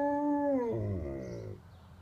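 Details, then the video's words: An Alaskan Malamute gives a sustained, siren-like howl that slides down in pitch and echoes through the neighbourhood. "Alaskan Malamute, Marrok, siren sing song"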